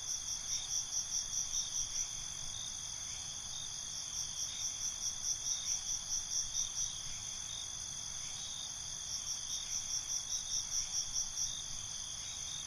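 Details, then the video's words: Crickets at night, binaurally recorded, keeping up a steady high-pitched ring while groups of quick rhythmic chirps come in recurring bursts of a few seconds, over a quiet low background rumble. "Night ambience, Cricket Conversations"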